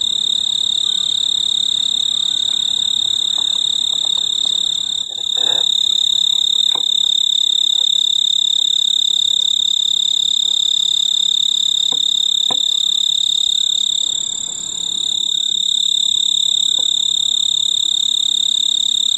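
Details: On a veranda's purple clematis flower in mid-August, a male snowy tree cricket stridulates to call a mate. Continuous, high, piercing trill sustained evenly throughout, with faint clicks and low background rustle.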